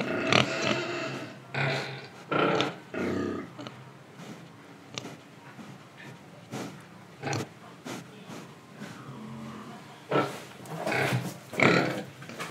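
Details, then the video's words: Pig in Indonesia breathing and grunting: irregular short snorts and grunts about once a second, some louder rough bursts, with soft breathing and sniffing between them. "Pig Sound Effects Oink Oink, Breathing & Eating"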